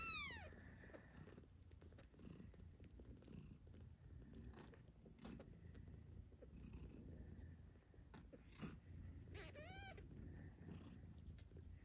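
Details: Newborn British Shorthair kittens, eight days old, give thin, high falling meows at the start and a wavering squeak near the end, while their mother, Moon Stone, purrs steadily as she nurses them.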